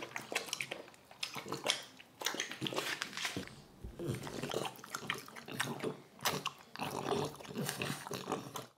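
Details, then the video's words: Indoors, a French bulldog chomps on watermelon: loud, juicy crunches and slurping smacks come in clusters of several bites, broken by brief quiet gaps. "ASMR Dog eating watermelon | French bulldog"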